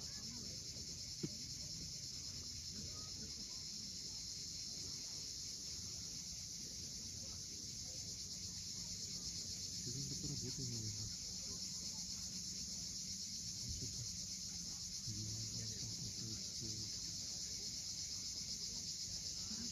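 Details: Continuous high, hissing buzz of cicadas at sunset on the steep coast of Cape Fiolent, Crimea, unbroken for the full length, with surf rumbling underneath and some faint low sounds swelling midway and near the end.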